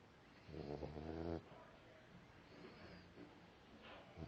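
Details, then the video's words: Puppies asleep and snoring, one deep buzzing snore of roughly a second followed by softer, quieter breaths and faint rustles in a quiet room. "My pups snoring"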